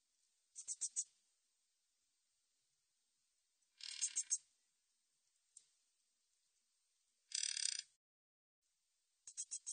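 Min's bush cricket gives short, high, hissing bursts of rapid ticks, repeated every few seconds.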